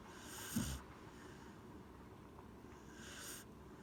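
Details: Gen-chan the Corgi, seemingly asleep, gives a short snorting inhale near the start and a softer breathy snore about two and a half seconds later, both airy and rough over steady low background hiss.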